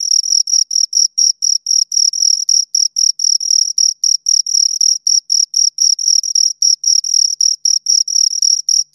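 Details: Two crickets chirping close up, a steady high-pitched pulsed trill of short bursts, about four per second, with overlapping rhythms and a clean silent background.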